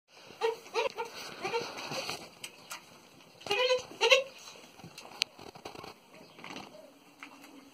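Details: Pahadi goat in Pauri Garhwal giving short, nasal, wavering bleats in two bursts, one early and one after a pause at mid-clip, over faint background voices and outdoor noise.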